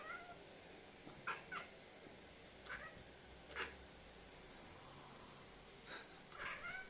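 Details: Male tuxedo cat vocalising on seeing his owner through a window after a long absence; a string of short, chirpy, broken meows and trills, about six bursts spread over seven seconds, against a low background hum.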